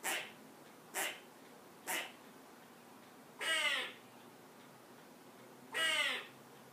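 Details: Squirrel raising the alarm from a perch after a cat came into the yard: three short sharp chips about a second apart, then two longer, harsher, downward-curving calls with strong overtones.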